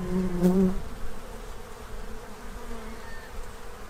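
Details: A bee zooms close by at a Central Illinois feeding tray where the colony gathers food for winter, a loud buzzy hum for under a second, then a quieter drone of more distant bees.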